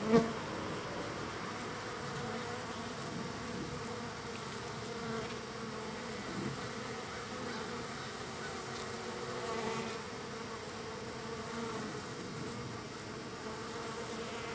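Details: Large numbers of wild bees visiting a feeding site, third day of feeding. An even, droning swarm hum continues throughout, opening with a short louder buzz as a bee passes close, with small swells near six and ten seconds.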